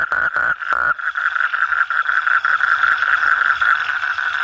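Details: Frog calling, a steady ringing tone held almost without break for over four seconds, with a few quick clicking pulses at the start and a faint high whine above.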